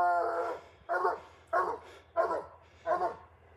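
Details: A Bluetick Coonhound (Canis lupus familiaris) gives deep, rhythmic tree barks, one roughly every two-thirds of a second, announcing a raccoon treed high up during a hunt.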